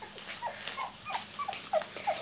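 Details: Two-week-old miniature Labradoodle puppies, born 31 July 2009, a male and a female in the litter: a run of short, thin squeaks and whimpers, each a brief falling slur, repeated several times a second, with a person speaking softly.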